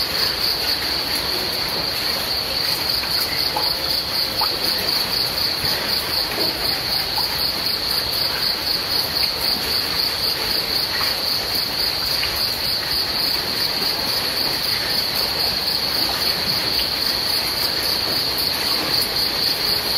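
Crickets chirp in a steady high-pitched pulsing trill over the hiss of falling rain.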